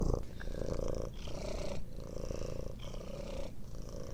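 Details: A sleeping cat makes loud, rough, rumbling breaths in a continuous low drone that swells and fades with each breath cycle, roughly every second.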